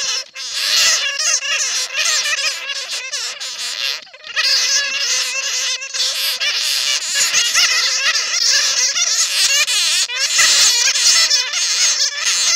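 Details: Bats taken in a net, their cries used to lure others: after a short pause, a crowded chorus of high, wavering squeals and harsh chattering runs on steadily, with brief breaks near the start and around four seconds.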